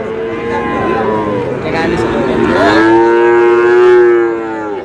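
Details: Cattle at a Natore market on 8/8/26 where a Sahiwal bull calf is bought: a rough, noisy lowing that swells into a long, clear, harmonic moo lasting about two seconds, with background chatter and a vehicle.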